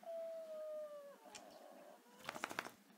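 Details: Female Staffordshire Bull Terrier indoors, recovering from a knee operation the week before, 'singing' through the night until 4 am: a long, steady, high whining howl that slowly slides downward for about two seconds, followed by brief rustling clatter.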